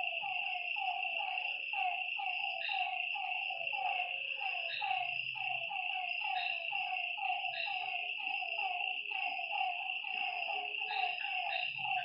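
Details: Night chorus of frogs by a lake: clipped, falling croaks tumble out roughly once per second over a loud, unbroken high-pitched whine from insects or other night creatures.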